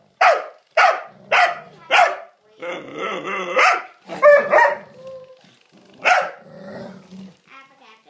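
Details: Rhodesian Ridgeback, Ellie testing Jasper's patience: four quick sharp barks open, then a rough, noisy grumbling stretch, a few more clipped barks and a final bark trailing into low growling.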